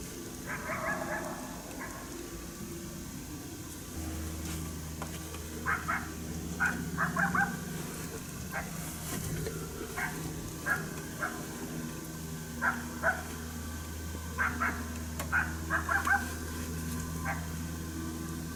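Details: Unseen coyote at St-Andrews, 1 March 2019, displeased by a hunter's presence, gives a long run of short yipping barks, irregularly spaced and fairly distant, over a steady low engine-like hum.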